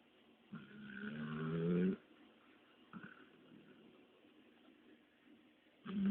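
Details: Dexter, a Labrador Retriever, snoring after a lengthy walk; a rising, rumbling snore with layered buzzy tones lasting over a second, a faint breath in the middle, and another snore starting at the end.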